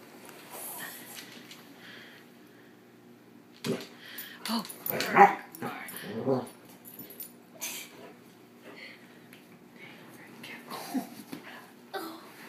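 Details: Two dogs playing, one getting carried away; scattered wheezy growls, whines and scuffles in bursts, loudest midway, with a woman talking and exclaiming in the background.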